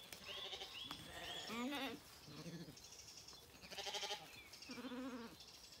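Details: Several Zwartbles lambs bleat in the morning on a County Kilkenny farm in Ireland while looking for their mothers; short quavering bleats in quick succession, a few higher-pitched, with birdsong behind.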